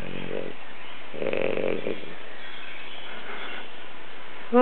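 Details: French Bulldog named Alex snoring while asleep: a short low voiced grunt, then a rasping, noisy snore lasting under a second, followed by quiet breathing against a steady indoor background hum.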